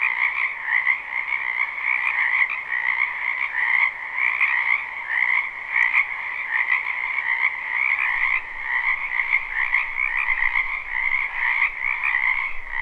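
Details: Many wild frogs croak together in a spring wetland, forming an unbroken throbbing chorus of rapid pulsed trills, the higher band buzzing loudest, with a faint low rumble late in the recording.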